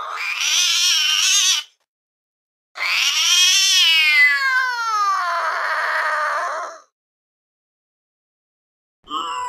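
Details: Fluffy cat perched on a window sill, gazing intently outside with ears perked up, gives a short harmonic meow, then a long drawn-out one that rises and slowly falls, and a brief cry cut off at the end.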